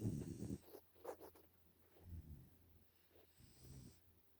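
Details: Nala, a five-month-old Pungsan puppy living in the United States, snoring in her sleep: a few soft, low rasping breaths spaced about a second apart, fading between bursts, in a quiet room.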